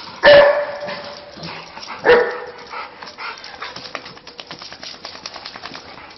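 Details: Two loud barks from a dog about two seconds apart, followed by quieter rustling and soft background sounds.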